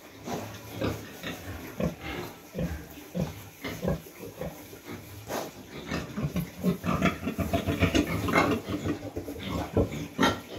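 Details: Sow just after farrowing, penned with her piglets and kept warm in the cold season; a long run of rough grunts and squeaky piglet-like squeals, growing busier toward the end, roughly two per second.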